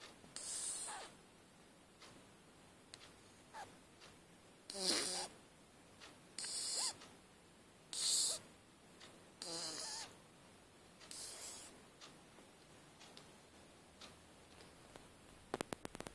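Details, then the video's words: Shih Tzu puppy asleep on its back, snoring sweetly: breathy, hissing snores in short bursts roughly every one and a half seconds, separated by quiet pauses, with a few faint clicks near the end. "Szczeniak shih tzu śpi i słodko chrapie / SHIH TZU PUPPY SLEEPS AND SNORES SWEET"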